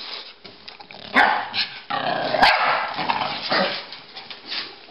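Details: Pekingese and Bulldog playing chase, with short harsh barks and bursts of broadband scuffling noise, two sharp clicks or knocks standing out near the middle.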